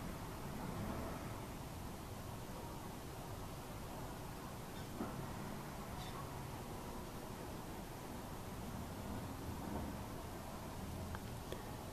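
Steady low rumble and broadband hiss like distant traffic or wind, with a few faint clicks and no clear animal voice.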